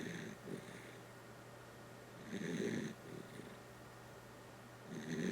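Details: A sleeping Dachshund snoring indoors. Each rasping, breathy snore lasts about half a second and comes roughly every two to three seconds, with quiet breathing between and a steady low hum behind.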